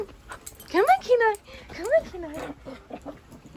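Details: Husky puppy named Kenai, being chased by a shih tzu while coaxed to jump onto a bed, gives a few rising, harmonic whining yelps in the middle of the clip, with a person repeatedly calling to it.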